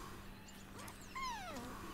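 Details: Kitten named Street, just woken after lying motionless on the floor, gives one short, clear meow that arches up and then slides down, with a steady low hum underneath.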